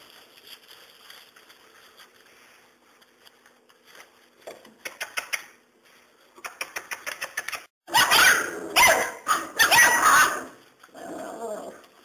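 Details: Serbian Mastiff x German Boxer puppies, five weeks old, give rapid bursts of short yapping barks, then loud harsh squealing yelps, then a final softer cry, indoors.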